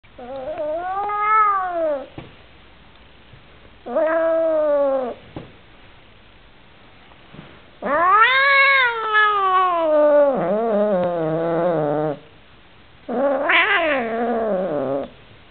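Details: A male Oriental Shorthair cat that dislikes his new housemate calls with loud, nasal meows, each rising then sliding down in pitch, the longer ones stretching into wavering, yowling cries with short pauses between.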